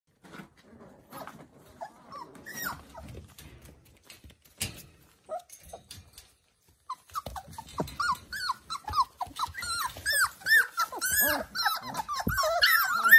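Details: Labrador Retriever puppies under eight weeks old in Scotland, filmed during early potty training. Quiet shuffling comes first, then many high, squeaky whimpers and short yelps overlap in a busy, rising chorus through the second half.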